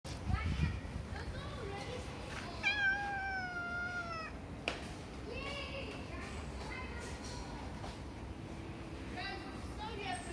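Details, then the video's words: Calico cat meowing: one long, clear, drawn-out meow that slides gently downward, with shorter, softer mews before and after it and a low background rumble throughout. "Meowing Calico Cat"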